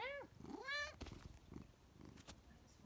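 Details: Chatty Siamese cat asking its owner for more kibble: two quick bending meows in succession, followed by soft clicks and rustling indoors.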